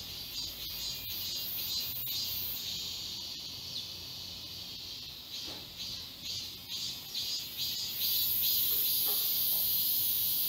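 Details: Cicadas in a forest chorus at Galsan Park, Seoul, during high summer: pulsed high buzzing repeated roughly twice a second, then a louder very shrill hiss joins near the end.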